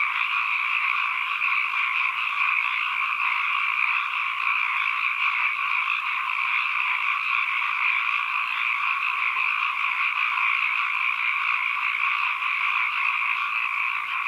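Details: Many frogs calling together as environmental sound, a thick continuous rasping trill in mid and upper registers that stays level and uninterrupted from start to finish, no other sounds present.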